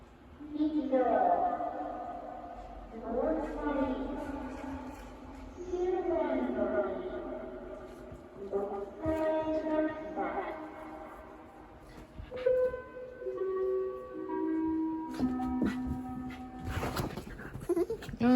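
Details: Shiba Inu named Yuzu, panicking in fear as the second emergency typhoon warning for Typhoon No. 14 sounds around the neighbourhood, keeps up a run of pitch-bending, vocal 'anya unya' whines, some rising and falling, with sharper noises near the end.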